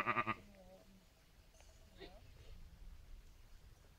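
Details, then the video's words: Sheep from a flock grazing above an old village graveyard near Kakmuže, Montenegro; a short bleat with stacked harmonics opens, followed by faint distant bleats over low background noise. "Ovce (Sheep)"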